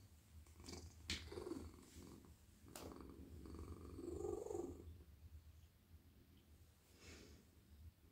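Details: A friendly male domestic cat purring while his whole body is stroked at night gives a low continuous rumble, with a clearer purring swell midway, mixed with sharp rustling and handling clicks.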